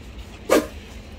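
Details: Yoon-i, a Shetland sheepdog (sheltie) kept as a pet, out on a windy day and very scared of the sound of wind, gives a single short, sharp bark midway through a quiet moment with faint background hum.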